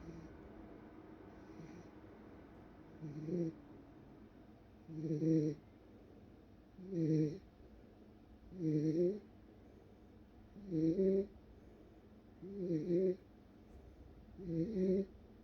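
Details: A Welsh Corgi in a deep sleep snores steadily: low, rumbling nasal snores about every two seconds, eight in a row, each swelling and fading, with a quiet background between breaths.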